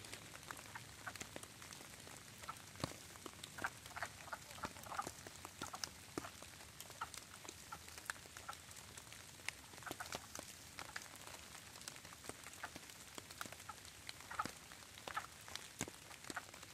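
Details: Wood frogs breeding at a vernal pool in Harrison County, Indiana, on a stormy night, 22 Feb 2023, 7:20–8:45 pm. Well over 20 frogs give soft, duck-like quacking clucks in a loose chorus, half buried under steady rain.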